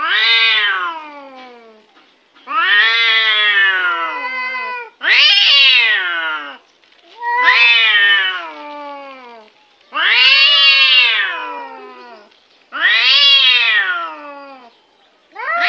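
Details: A cute cat meowing repeatedly, about six long plaintive calls spaced roughly every two to three seconds, each rising then sliding downward, loud and tonal against silence.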